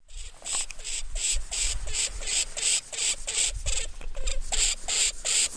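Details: A North American lemming gives rapid, harsh squeaks, about three per second, over a low rumble.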